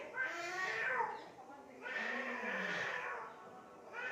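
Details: Real cats fighting in Assam, India, by mud and water, giving two long, moaning yowls that bend up and down in pitch, separated by a brief lull, with another call starting at the end.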